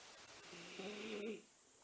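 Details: Miniature Schnauzer napping indoors, breathing with a whistling snore: one drawn-out tonal wheeze that rises slightly in pitch and lasts under a second, then fades into quiet room noise.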